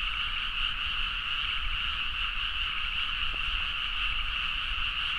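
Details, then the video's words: Midnight rice-field chorus of frogs in Nagaoka, Niigata, Japan: countless callers merge into a steady, shimmering mass of rapid croaks in two pitch bands, unvarying in loudness, with a single faint tap midway and low rural hum. "The frog sound at mid night (環境,自然音 -深夜のカエル大合唱-)"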